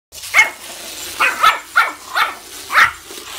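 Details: A female Yorkshire Terrier indoors, frightened by her toy, giving five sharp, high barks in quick succession, roughly every half second, with short pauses between.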